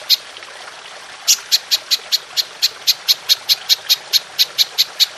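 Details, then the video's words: Golden grasshopper long-shooting call meant for training songbirds: after a single early click and a second of quiet, a steady series of sharp, high, dry ticks repeats at an even pace to the end. "Belalang Emas Nembak Panjang"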